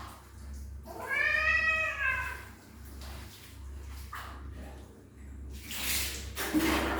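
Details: Kitten that does not want a bath, meowing loudly indoors: one long drawn-out wavering meow, followed by softer shorter cries and bursts of splashing or rustling noise, with a steady low hum underneath.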